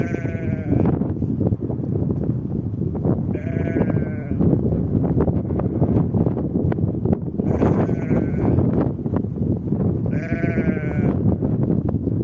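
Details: Ewe and lamb sheep on the spring steppe among grass, giving harmonic, wavering bleats about one second long, four calls spaced roughly three seconds apart, over steady low wind rumble and grass noise.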